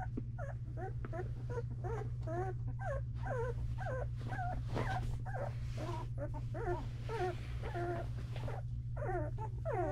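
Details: Two-week-old Belgian Malinois puppies in a whelping box, several at once, giving repeated high squealing whines that rise and fall, closely spaced and overlapping, over a steady low electrical hum.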